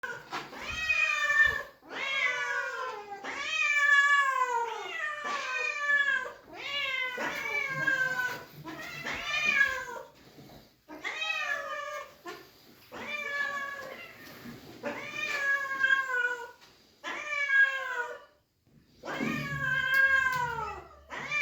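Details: Several shelter cats meowing with excitement at seeing their feeder return after days away: a near-continuous chorus of drawn-out, falling meows, one after another with barely a break.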